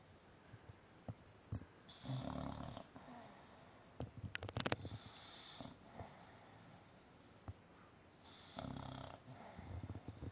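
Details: A male English Bulldog snores in loud, rasping bursts with quiet pauses between breaths while napping upside down.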